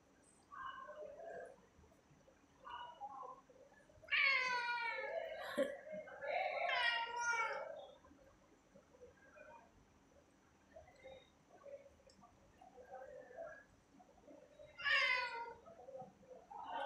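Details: Cat at treat time, recorded indoors at 01:12 am on 25 October 2023: two long, wavering, drawn-out meows close together, a third later, with soft low murmuring mews in between.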